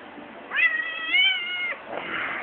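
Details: A one-year-old Siamese cat, confused after having all its paws taped, gives a clear, drawn-out tonal meow lasting about a second, steady and slightly rising, followed by a softer breathy sound; faint background music.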